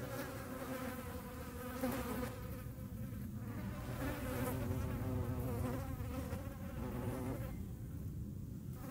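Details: Hornet chasing flies in the Eifel region: a dense, continuous whirring hum of wings, rich in overtones and slightly wavering in pitch, with no pauses and faint background rustle throughout.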